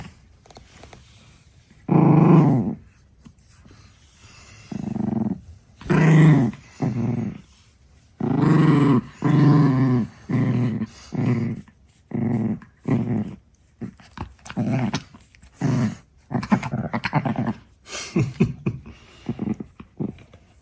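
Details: Six-month-old female Chihuahua puppy, indoors, growling while guarding her favourite stick: a series of low, rumbling growls in bursts of about one second, repeated with short pauses, growing quicker and choppier toward the end.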